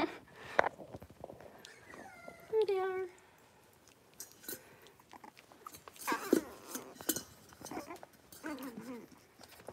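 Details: Young Cavalier King Charles Spaniel puppies playing in their pen: one high whining whimper slides downward in pitch, followed by softer squeaks, with people talking and handling noises around them.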